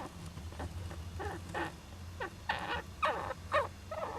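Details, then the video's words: Juvenile Japanese giant flying squirrel in an owl nest box on 19 July 2010 gives a run of short, harsh, sneezy bursts, roughly two per second, over a constant low droning background. "仔ムササビの鳴き声 ～子供だってくしゃみするんです～"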